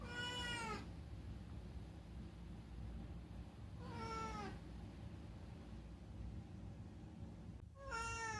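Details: Talkative rescued domestic cat calling at night in summer: three bright, arching meows spaced roughly three to four seconds apart, a faint click before the last, steady low background hum.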